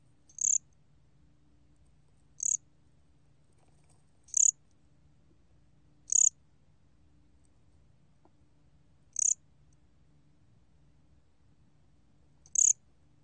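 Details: Bear cricket (gomgwitturami), 2020 National Institute of Biological Resources recording: isolated sharp, high chirps repeating roughly every two seconds, six in all, with a faint low hum underneath.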